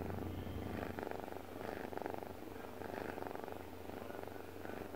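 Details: Sleeping pet cat Deokbae purrs in a dense, grainy rumble, rising and falling in soft waves roughly every second as it breathes, over a constant faint background hum.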